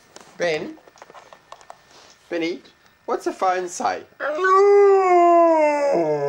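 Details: Pet dog Benny at home. A person's coaxing talk fills the first few seconds, then the dog breaks into a long, steady, wavering howl that slowly falls in pitch.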